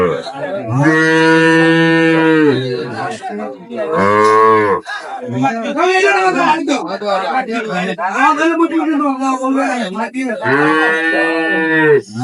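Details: Improved-breed milk cows and calves at the Ambari cattle market in Dinajpur, 23/5/25: three drawn-out low moos, the second shorter, with men bargaining over price in between.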